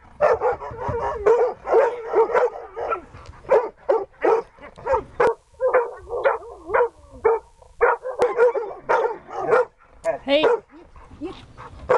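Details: Excited Siberian Husky named Dexter at search and rescue training, barking and yelping almost without pause for twelve seconds, the calls running together in a fast, uneven stream.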